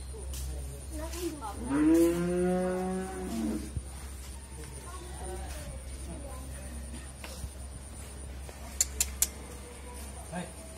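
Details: Friesian cow, a heifer nine months pregnant with her first calf, raised on a dairy farm in Bhangura, Pabna, Bangladesh; one long drawn-out moo lasting about two seconds, rich in harmonics, then quiet barn noise, a steady electrical hum, and a few clicks and knocks.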